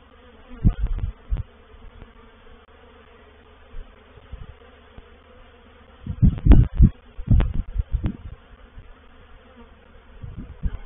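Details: Reproductive swarm of honey bees moving into a bait hive, or swarm trap, at Painted Peacock Manor, dated 04/07/21. A low steady hum with loud deep thumping bursts near the start and again around six to eight seconds.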